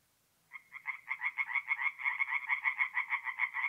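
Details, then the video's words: Tree frogs singing at night at a forest pond in mid-April in north-east Italy; after half a second of silence, a rapid, pulsing series of nasal croaks starts and repeats about three times a second, with no other sounds. "relaxing forest pond by night with singing tree frogs"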